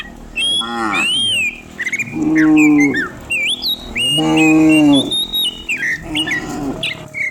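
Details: Cattle driven downhill through rural village country in the morning: two drawn-out, level, low moos about two seconds apart, with busy chirping and whistling birds throughout.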